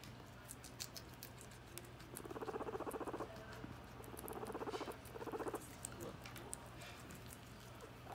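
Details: A female guinea pig eating lettuce gives short bursts of rapid, rattling pulses, repeated in three low grumbling runs.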